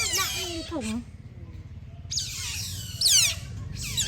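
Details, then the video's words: Sun-basking otters at play: a cluster of downward-sliding squeals, a near-silent gap of about a second, then a fresh burst of piercing chirps from more than one animal. "សត្វភេដេកហាលថ្ងៃប្រលែងគ្នានិងបញ្ចេញសម្លេងពិរោះគួរអោយស្រលាញ់, Cute otter makes a beautiful sound."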